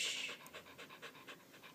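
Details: Frightened pet dog Candy pants hard after the fire alarm's low-battery beep, giving sharp airy huffs about four per second, loud and close, while her owner tries to calm her.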